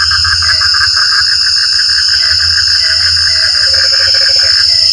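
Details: Rain-time frog chorus with quick rattling pulses at mid pitch, a few deeper gulping notes late on, and a low rumble beneath; a constant shrill insect drone sits on top.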